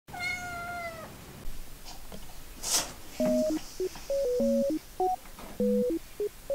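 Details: Pet cat in a multi-cat home, one of several cats sick with feline herpes. A single clear meow of about one second, steady and then dropping slightly in pitch, followed by bouncy background music with plucked synth notes.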